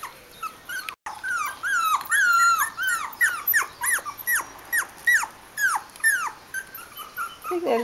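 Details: Bichon Frisé puppies from one litter, aged four weeks and five days, giving a busy run of high, whining squeals and yelps. Each arches up and then slides down, coming about twice a second in an almost unbroken chorus.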